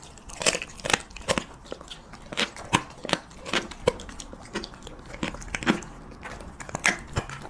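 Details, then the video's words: Close-miked ASMR mukbang of a Siberian Husky chewing cheese meat: sharp, crackly crunches come about every second in an irregular rhythm. The room is otherwise quiet. "HUSKY REVIEWING CHEESE MEAT"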